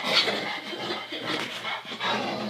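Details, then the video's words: Maggie, a female Labrador Retriever, indoors on Thanksgiving, gives a run of low, rough grunting vocalisations with breathy, panting texture across the whole moment, close to the listener in a small room. "Grunting Dog on Thanksgiving"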